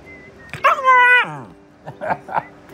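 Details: German Shepherd puppy, newly brought home and biting, gives one high whining yelp with a bending, harmonic-rich pitch. It is followed by short bursts of the owner's voice scolding "no biting".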